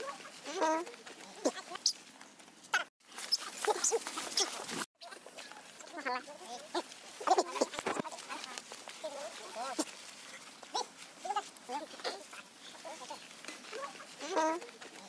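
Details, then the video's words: A young monkey harassed by his mother gives repeated shrill screams and squeals in clusters, with a rough, noisy burst and short silent breaks in between. "big screechig so bad mum Libby abusing Leo big scream poor boy"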